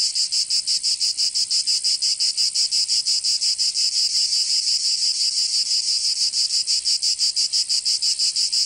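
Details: Cicadas singing in summer in Provence, southern France: a dense, shrill buzzing chorus with rapid pulses, about three per second, steady throughout with no other sounds.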